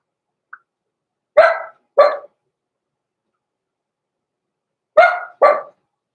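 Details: Blenheim Cavalier King Charles Spaniel puppies, born November 14, 2022, in the Red Barn Cavaliers puppy pen at Christmas: two sharp barks in quick succession, a pause of several seconds, then another pair, in a quiet room.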